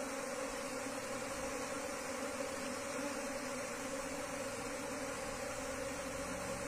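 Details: Asian honey bee colony taken from the wild and transferred into a hive box: a continuous, even buzzing drone with a strong low hum and a higher overtone over broad background hiss.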